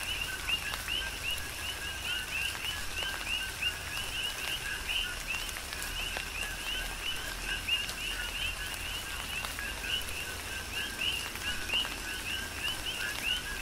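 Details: Chorus of coqui frogs during a tropical rain shower, Big Island, Hawaii; many frogs give quick upswept whistled two-part calls in rapid overlapping succession, with a constant hiss of rain and occasional louder raindrop ticks.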